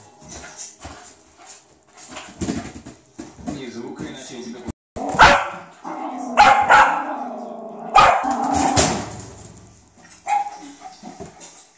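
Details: Cairn Terrier playing with a ball indoors, giving sharp barks and short yips in bursts, loudest in the middle stretch, with a person talking throughout.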